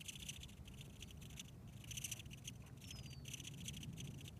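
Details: A female velvet ant found walking on a trail at Almaden Quicksilver Park squeaks in a series of short, raspy high-pitched pulses repeated throughout, over a low rumble of background noise.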